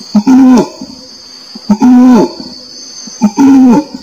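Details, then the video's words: Three orangutan calls in quick succession. Each is a short, rich hoot that stays level and then bends downward, with a small yelp just before it, set against a constant shrill insect hum. "SUARA ORANG UTAN"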